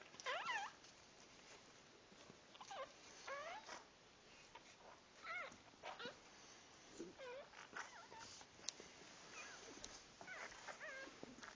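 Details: Puppies just born give thin, high squeaks and whines, scattered irregularly and softer than before. Short upswept and drooping cries overlap faintly against a hissy indoor background, with a louder cluster at the start.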